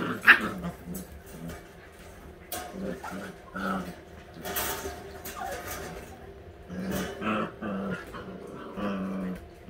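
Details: All-white Husky puppies at eight weeks old, playing together: low rumbling growls come in short bursts, with a brief high yelp near the start and scattered whiny yips and scuffling between the growls.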